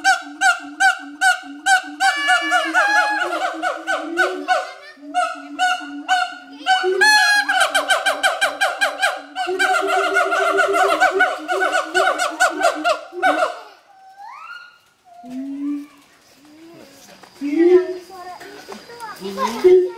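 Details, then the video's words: Pair of adult siamang gibbons duetting at Schmutzer Primate Center, a territorial morning song: rapid trains of loud harmonic barks accelerating into dense bursts, then breaking into rising wails and scattered hoots near the end. "Duet Song of Siamang Gibbons (Symphalangus syndactylus)"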